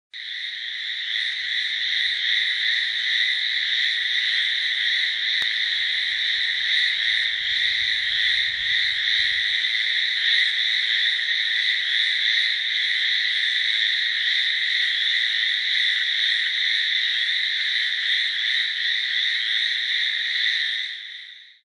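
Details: Hallowell's tree frogs (Hyla hallowellii) call in the Amami or Okinawa islands, where they give loud "gee, gee" calls from shrubs and grass near ponds and paddies, often in rain and in breeding season: a steady, high, buzzing stream of rapid calls merging into one sound.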